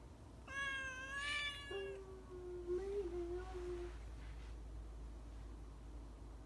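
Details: Four-month-old rescued kitten named En, in temporary foster care a month after rescue, wanting to climb up high indoors: a bright, harmonic-rich meow lasting about a second, then a lower, drawn-out wavering call of nearly two seconds.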